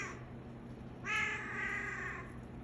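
A Bengal cat in heat gives a drawn-out, nasal yowl that holds steady for about a second.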